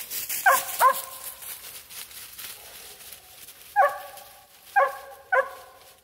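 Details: Mountain Cur hounds in the woods, with the mother dog working to get her pups to tree during training. Sharp, ringing barks come in pairs and then singly, separated by quiet gaps, over faint outdoor background.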